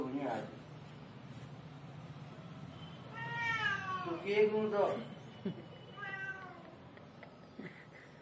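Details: Pet kitten at feeding time meowing indoors: a long, wavering, harmonic mew with rising then falling pitch, followed a second later by a shorter, softer mew, with a person's voice and faint room noise in the background.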